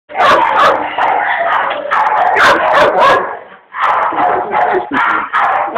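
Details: Pet dog vocalizing because it wants its food: a loud, dense run of rapid, harsh barks and yelps in quick bursts, pausing briefly near the middle before resuming.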